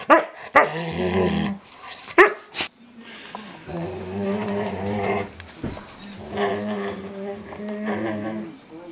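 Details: Young standard poodle Micah, 8 months old, grumbles while nibbling the older poodle's ears and face indoors; scattered clicks and yelps open, followed by long, low, buzzy moaning sounds that rise and fall in several stretches.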